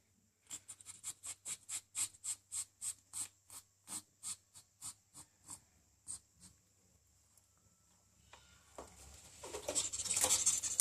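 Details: A ferret enjoying the water temperature during a bath or shower gives a rapid run of soft, clucking pulses, about three a second, that fade away.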